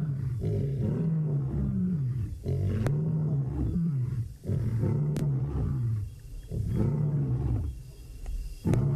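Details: Lions in the Maasai Mara roar at sunset on 3 September 2017 in a series of deep, moaning grunts, each rising and falling, about every two seconds.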